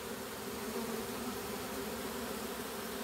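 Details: A honey bee swarm marching uphill into a hive box as it is caught; steady dense droning hum with a band around a few hundred, no voices over it.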